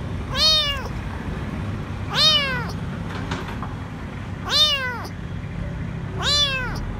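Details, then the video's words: Small, dirty kitten alone and hiding below a food truck at a grocery store, afraid and crying out for food: four loud, arched, harmonic-rich meows, roughly every two seconds, over a low steady rumble of outdoor urban noise. "Poor little kitten is afraid and asking for food"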